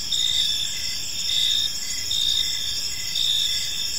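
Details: Evening cricket chirping in a serene park: continuous shrill, layered trilling with regular surges in loudness about every second, no other clear sounds beyond soft low ambient noise.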